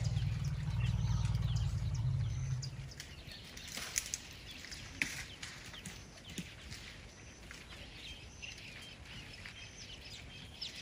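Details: A purring rumble from an elephant of a herd outside a tent at night in Tarangire National Park, Tanzania: a low, throbbing drone lasts about three seconds, then fades into quiet, with scattered high bird chirps and faint clicks.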